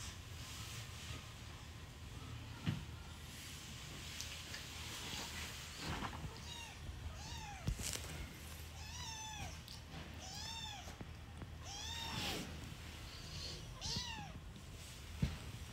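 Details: Newborn kitten meowing: thin, high, arched squeaky mews repeated roughly every second or so through the second half, over a noisy background with rustling.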